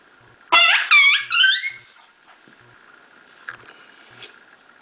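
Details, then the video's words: High squeaky cries during a Miniature Pinscher whelping her babies, three quick squeals in a row, each bending up then down in pitch, followed by faint scattered ticks and room hiss. "MIN PIN, MINIATURE PINSCHER, HAVIN BABIES, GIVING BIRTH"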